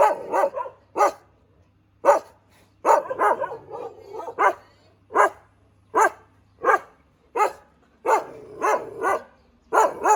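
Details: Thai Ridgeback dog giving single and doubled sharp barks at uneven intervals, with a short flurry of softer overlapping barks in the middle and a faint low hum behind.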